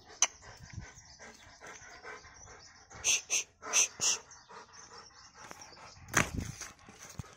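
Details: Rottweiler. A Rottweiler barks in short, rough bursts, several close together in the middle and one heavier outburst near the end. Faint background hiss and a brief human voice fill the gaps.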